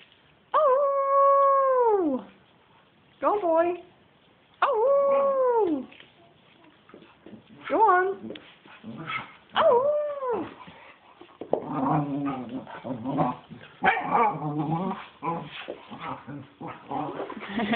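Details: Pet dog playing wildly and going crazy, with a second dog joining near the end: long howl-like yowls that bend up then fall, several in a row, then choppier barks and whines mixed with a person talking and calling the dog.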